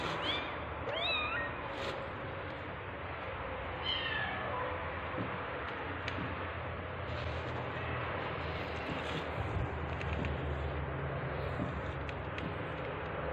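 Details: Tabby cat giving birth, during labour: a few short, high, bending meows near the start and again around four seconds, then a low steady background hum and faint rustling.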